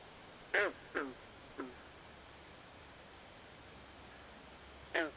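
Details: Frogs at night by a swamp: three quick croaks fading in loudness, a long hushed gap, then one more strong nasal croak, over quiet hiss.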